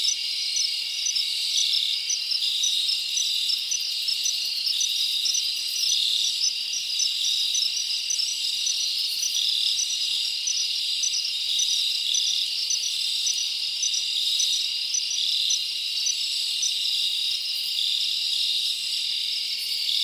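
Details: Crickets chirping at night in summer in a forest: a dense, steady high-pitched trill with faint rapid pulses repeating throughout, forming an unbroken shimmering chorus with no other sounds.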